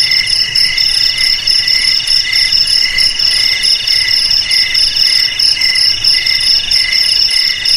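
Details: Cricket sound played to keep rats out of houses, garages, storage sheds and rice fields: a piercing, even, high trill beating rhythmically for about eight seconds without pause, alone.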